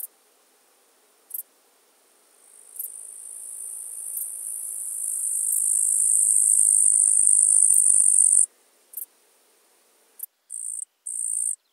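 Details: Eastern green bush-cricket (Tettigonia caudata) singing in July at Marz, Austria, picked up through an ultrasound detector: a very high continuous buzzing trill that swells over several seconds, stops abruptly, then breaks into short separate bursts.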